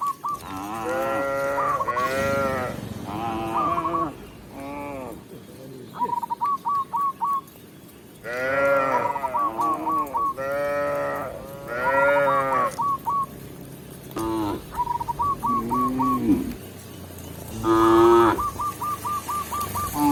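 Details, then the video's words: Tame village cows being led by a shepherd back into the pen, rural setting; repeated drawn-out harmonic moos, several overlapping, some arching up and down, with short bursts of high chirping notes between them. "Cow Sound, Funny Cow, Cow Moo"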